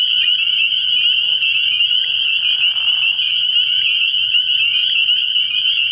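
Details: Early-year night recording at a frog pond: a massed spring peeper chorus rings continuously in high, piercing peeps. A short softer mid-pitched rustle appears around the second to third second, with a faint low hum throughout.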